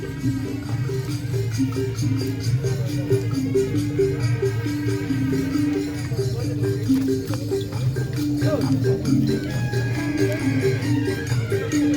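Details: Loud rhythmic music with rattling percussion and repeated tones throughout, some speech mixed in; no animal voice.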